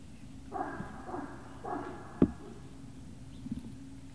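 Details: Puppies of the Great Dane breed, Puppy Hill, 18 November 2018: three quick harmonic yelps about half a second apart, followed by a sharp click and faint knocks over a low steady hum.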